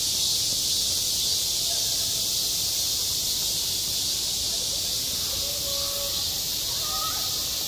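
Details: Cicadas singing on a school playground in midsummer: a dense, unbroken high-pitched buzzing wash that holds steady throughout, with faint thin tonal calls or distant voices drifting underneath.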